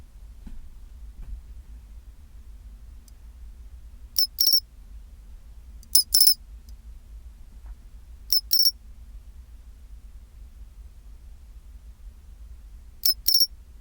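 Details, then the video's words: At 24 °C a pine cricket gives its chinchirorin call: four ringing high-pitched phrases at uneven intervals, each a brief click-like chirp then a short tinkling roll, against quiet low background noise. "チンチロリン Sound of pine cricket"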